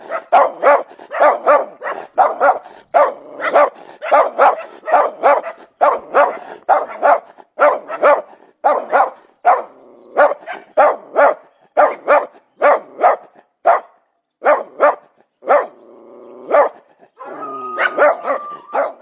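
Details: Domestic dog giving a long, steady series of loud, sharp barks, about two or three per second, with brief pauses and a few whiny, higher yelps near the end.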